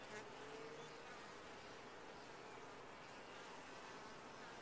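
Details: Honey bees inside a top-bar hive, a dense steady colony hum spread broadly across low and high pitches, with a faint thin tone near the start and no other clear sounds.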